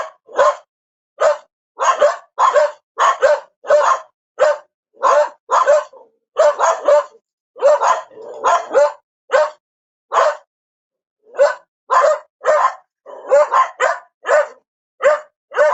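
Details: Dog barking; sharp, short barks repeated rapidly about twice a second in irregular runs, some doubled, with brief silent gaps and no other sounds.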